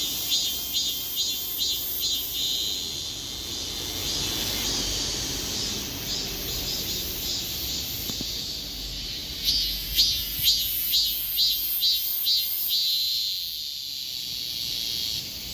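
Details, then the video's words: Korean cicada song, the insect stepping backwards while calling; a rhythmic series of pulsed buzzy bursts, roughly two per second, swells and fades, then trails off into a softer continuous hiss. "참매미의 노래중 뒷거름질 ?"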